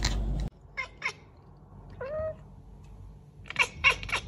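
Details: Domestic cat chattering and chirping, one of a compilation of pet cats: short chirrups near the start, a brief rising mew around two seconds, then a quick burst of staccato chattering notes toward the end, in a quiet indoor setting.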